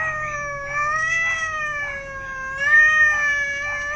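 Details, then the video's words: Agitated domestic cat, angry, crouched by a cardboard box where it is about to give birth; a long unbroken harmonic yowl holding steady in pitch with slight wavering swells, and faint background music. "Kucing ini emosi terlalu lama"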